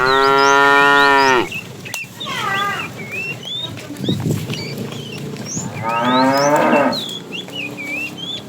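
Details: Afternoon herding of tame cattle, a fat cow calling to a female: a long loud moo at the start, then a second quieter, rougher moo later, with birds chirping throughout.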